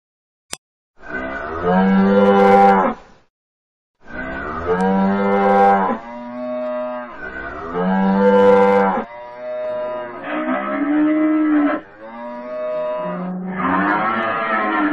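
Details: Cattle mooing loudly in a series of long, drawn-out harmonic calls, each about two seconds, repeated roughly every three seconds with short silences between; later moos sound higher and more strained.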